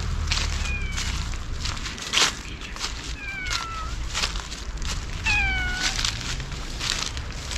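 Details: Stray ear-tipped sakura cats, wary but hungry, crying at a feeding spot in a Laputa-like place as they are given Kalkan and Churu treats; several drawn-out, falling meows spaced a few seconds apart, over clicks, rustling and low outdoor rumble.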